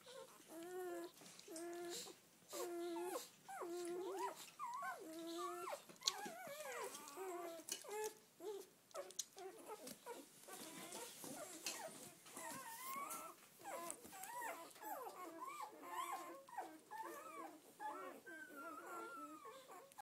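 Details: Red-rust Doberman Pinscher puppies, seven females and four males born 7-12-10, on their first day out: repeated nasal whimpers in short, evenly spaced bursts, then a jumble of softer overlapping whines over a rough, noisy background.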